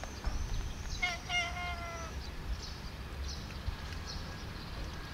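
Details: Sweet Bun, a female cat, meowing at length while her owner fails to understand her: one drawn-out, harmonic meow lasting about a second, steady and slightly falling, with thin high bird chirps outdoors in the background.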